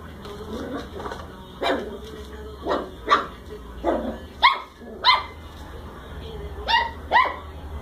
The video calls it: Puppy cocker spaniel barks at new friend: A ball!